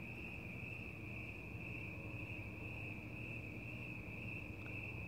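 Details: Crickets at night in the open air give a level, sustained high-pitched trill with no breaks, while a dull low-frequency drone fills the background.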